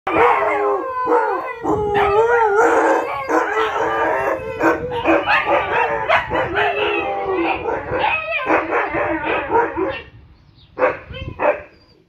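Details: Siberian Husky howling as a wake-up call for the neighbours: long, wavering, harmonic-rich howls that rise and fall, overlapping almost continuously for ten seconds before a few shorter bursts near the end, with faint voices underneath.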